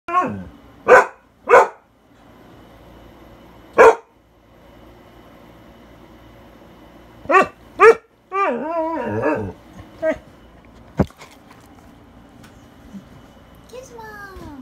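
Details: A dog gives sharp, single barks in short bursts at an air conditioner, whose steady low mechanical hum runs underneath.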